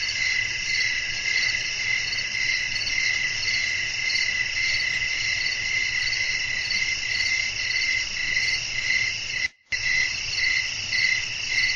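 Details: Crickets chirping at night in a calm natural setting with wind, a sleep ambience: a steady pulsing high trill with several layered bands, the beats coming in quick rhythmic waves, briefly cut to silence near the end.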